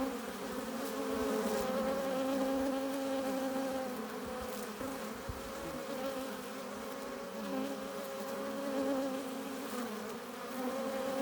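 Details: A busy honey bee hive entrance hums steadily as foragers bring in nectar and pollen, several clear drone tones holding and gently wavering in pitch, with no other sounds.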